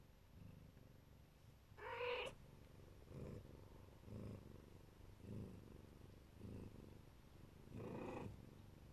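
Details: Mother Siberian or Neva Masquerade cat purring while protecting her babies: deep pulsing rumble with regular breath swells, broken by two brief, bright meow-like calls early and late.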